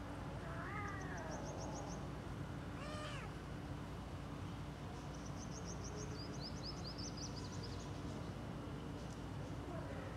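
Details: Playing kittens meow in brief arched calls near the start and again around three seconds, while faint high chirping runs in short series through the middle over a constant low hum.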